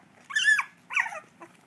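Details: A miniature dachshund puppy, one of three learning to bark and growl, gives two high, squeaky barks with a faint third yip.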